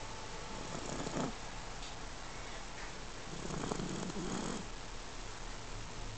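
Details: Puppy napping indoors and snoring softly: a low, breathy rasp swells around the first second, then a longer, rougher snore stretches through the middle, all over a steady quiet hiss.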